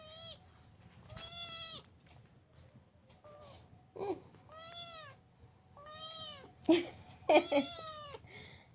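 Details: Domestic cat being dressed in a sweater indoors, meowing repeatedly: drawn-out harmonic meows with arching pitch, about five calls with short gaps, some broken by rustling and handling noises, a woman talking softly nearby.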